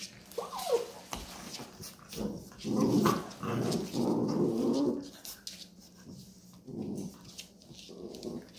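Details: Labrador Retriever mother with her puppies, teaching them there is no milk; a run of low, rough growling bursts, some drawn out, rising and falling in waves over several seconds, with a short higher whine near the start.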